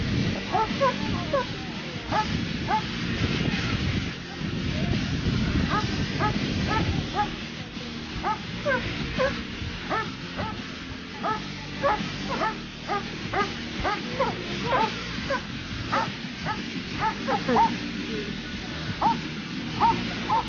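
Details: Dobermann at Dobermann Day, 14 September 2014, held by the Latina section of the Italian Dobermann amateurs' association. Italian speech and crowd noise fill the opening seconds, then a fast run of sharp, repeated barks continues to the end.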